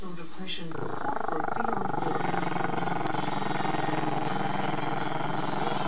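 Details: Chester, a camera-shy Maltese-Shih Tzu pup, growling at the camera: a long, low, steady rumbling growl with a fast pulsing texture that carries on for several seconds after a brief opening sound.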